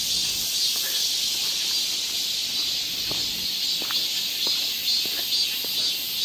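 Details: Cicada chorus in midsummer woodland at Galsan Park in Seoul's Yangcheon-gu, heard along a forest walking path: an unbroken, shimmering high buzz holding level throughout, with faint scattered clicks underneath.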